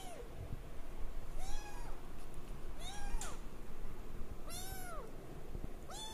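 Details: A 22-day-old male Singapura kitten mewing repeatedly, short thin arched cries about once a second, some with a brief upward tail, against quiet low room noise; the kitten was born 28 January 2013.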